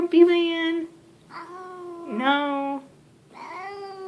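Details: Grumpy house cat Leo yowls in drawn-out, wavering moans while held indoors, three long protesting cries with pauses between, a dipping tone in the middle one, and a person talking softly.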